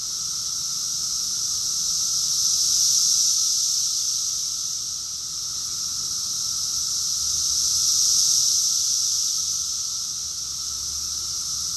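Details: Massed cicada song in Rockville, Maryland, USA, recorded June 2021: steady shrill whirring that surges twice in slow waves, over a quiet constant lower drone.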